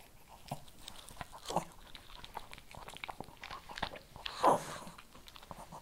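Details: Shih Tzu eating kibble indoors, with crisp crunching bites and scattered clicking chews throughout, louder crunches near the start and a strong burst toward the end, over a quiet room background.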